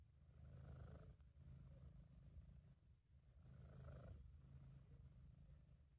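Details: Deep continuous purring from Sabu, a British Shorthair, content and at ease; the vibrating rumble pulses strongly in two long breath cycles, inhale and exhale blending almost without a gap, in a home amateur recording.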